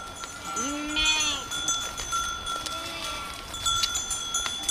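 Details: Village goats in nature: a few moderate, slightly quavering bleats, two of them overlapping, spaced about two seconds apart, with a thin steady high-pitched tone running behind.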